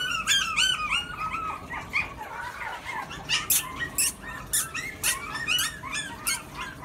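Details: A male Pomeranian puppy lets out a stream of thin, squeaky yelps and short whimpers, some sliding down in pitch, several each second, over a faint steady hum.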